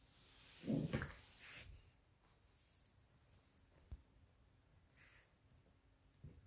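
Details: Two small mixed-breed dogs, Luigi, a 12-week-old Alaskan Klee Kai cross Pomeranian puppy, and Pooki, a 7-year-old American Eskimo cross Chihuahua, tussle indoors over a toy fox; a brief harsh growl bursts near one second, then soft scuffles and thumps.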